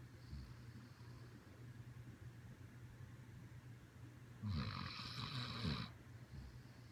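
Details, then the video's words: Sleeping Siberian Husky snoring: a quiet rumbling stretch followed by one long, loud, rasping snore lasting about a second and a half, over a constant low hum. "Siberian Husky SNORING!!"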